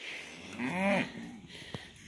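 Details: Cattle, cows and calves on their way out to summer pasture: one short bellowing moo that rises and falls over about half a second, with soft background noise and a woman's voice nearby.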